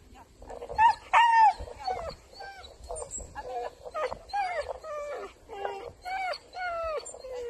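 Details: Soft Coated Wheaten Terrier in France giving a run of high, wavering whines and yelps, rising and falling in short bursts, with a faint steady hum behind.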